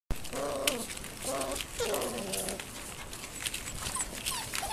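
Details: Irish Terrier puppies from one litter giving high, wavering whimpers and short yelping squeals in a run of separate cries, some sliding downward, over a steady background hiss.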